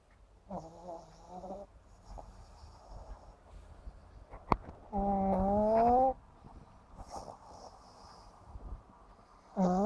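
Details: Sleeping 7.5-month-old pug snoring comically; whistly, wavering nasal tones in bursts about a second long, one louder rising whine in the middle, over a low steady hum.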